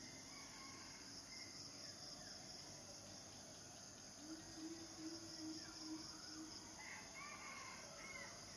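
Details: A continuous shrill cicada chorus holds a constant high pitch throughout, while faint bird chirps and a brief low hum rise in the background midway.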